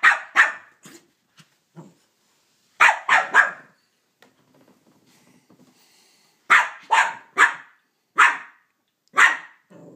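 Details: Banjo, a Cavalier King Charles Spaniel, barking at Minnie Mouse for taking his bone: sharp bursts in pairs and triplets, separated by pauses, with faint low rumbling between volleys indoors.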